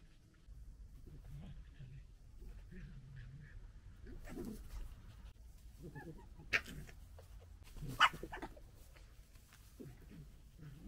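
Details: Local wild fox family gekkering, fighting and disagreeing: low throaty chattering grumbles with scattered squeals and two sharp shrill cries, fairly quiet with a low background rumble.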